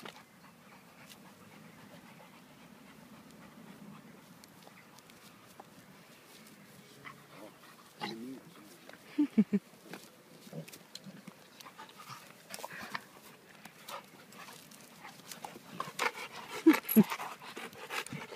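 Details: An American Staffordshire Terrier at play with Elvis, a Great Dane puppy: short rough growling bursts come in bunches among scuffling, clattering movement noises, growing busier and louder toward the end.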